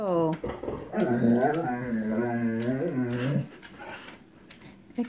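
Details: Pet dog that dislikes storms, whining and whimpering indoors after distant lightning appears, before any thunder: one long wavering, voiced whine lasting about two and a half seconds, rising and falling in pitch, with short sharp sounds and a quiet human voice nearby.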